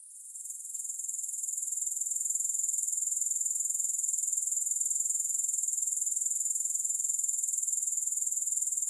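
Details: Grasshoppers in a continuous, very high, shimmering insect trill that fades in over the first two seconds, then holds steady with fast, regular pulsing; no music or other sounds.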